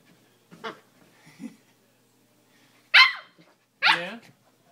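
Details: Siberian Husky puppy Nismo, seven weeks old, attacking his bed indoors: two soft low grumbles followed by two sharp, high yappy barks about a second apart, with quiet between.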